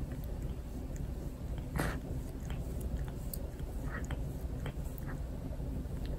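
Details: Torapachi, a house cat, licking and grooming a family member indoors after a fireworks festival. Rough scraping licks with wet clicking smacks, irregular, one louder rasp near the two-second mark, over a steady low indoor hum.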